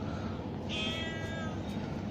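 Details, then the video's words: Street-living mother cat, living outdoors with other mother cats and kittens, meowing after smelling food; one loud, strained, drawn-out meow lasting over a second, with a woman speaking Turkish and steady background noise. "Anne Kedi Yemek kokusunu Alınca Sevdirmedi"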